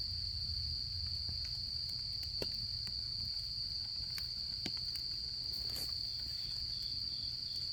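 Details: Autumn insects singing at a campsite beside a crackling campfire: a steady, unbroken high-pitched ringing trill runs throughout, while scattered sharp pops and snaps from the burning wood break in, with a low rumble underneath.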